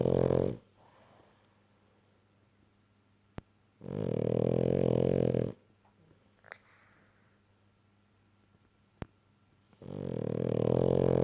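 A French Bulldog gives long, loud snores, each a rough, rattling breath lasting over a second. Quiet pauses of several seconds separate them, with only faint room hush between.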